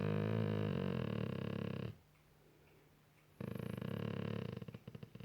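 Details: Golden Retriever being cuddled on a couch indoors at night, ear scratched; loud, deep, harmonic groan, a brief pause, then another moan breaking into pulsing, stuttering grunts that fade out.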